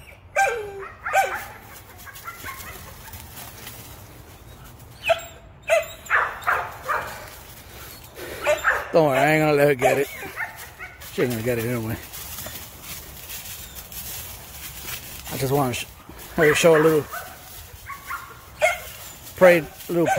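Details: American Pit Bull Terrier, a female, straining after a rabbit while hunting: wavering whines and yelping barks mixed with a man talking to the dog, the calls rising and falling in uneven bursts.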